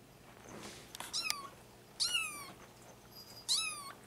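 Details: Five-week-old male Bengal kitten in Madison, Wisconsin, September 2015, giving three high, sharp meows about a second apart, each sliding downward with bright overtones, in a quiet room.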